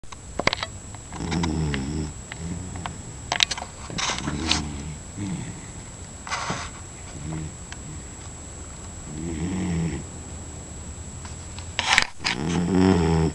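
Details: Sleeping pet dog named Nick snoring: low rattling snores in irregular bursts, with sharp clicks and a steady high electronic whine in the background.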